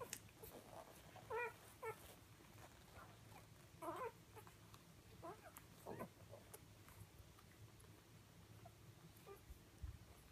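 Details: Four Siberian Husky puppies at feeding time give short, high whimpering whines, a few scattered cries over a quiet background.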